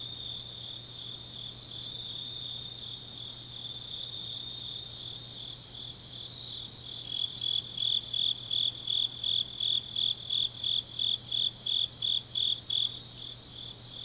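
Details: Deep autumn night in Changnyeong, Gyeongnam, Korea: grass insects trill softly at first with faint distant pulses, then a closer singer starts a loud, regular high chirp near three per second, continuing to the end over a low hum.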